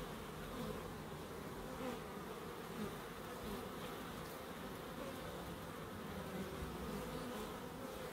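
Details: In a small Crookes wildlife garden, bees produce an unbroken humming buzz. Its low, even drone swells faintly here and there as insects move about.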